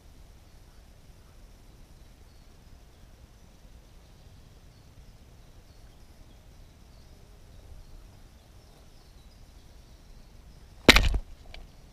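Faint outdoor hiss and low rumble with no clear calls, ending in a sudden sharp knock, like handling noise, near the end.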